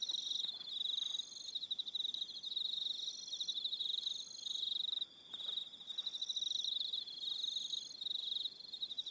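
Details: Crickets on Aroha Island, New Zealand, calling in the evening: dense, high pulsed chirping in overlapping trains, with a brief pause near the middle and several callers layered at different pitches.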